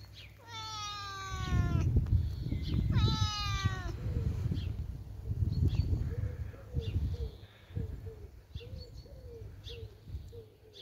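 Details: Gentle male outdoor cat, rolling about and relaxing beside its carer: two drawn-out, slightly wavering meows in the first few seconds, then low rumbling handling noise and soft ticks.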